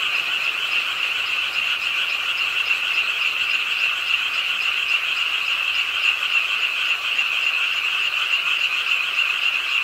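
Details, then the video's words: Many frogs calling together by a city park pond in Suwon during night rainfall, forming a continuous rapid pulsing drone of mid-high croaks without pauses, with rain hiss in the background. "비오는 밤 개구리소리, Do you hear the frogs? 비오는 밤 공원 연못 추억의 개구리 소리, Frog Sounds, 빗소리와 함께 듣는 개구리 우는 소리"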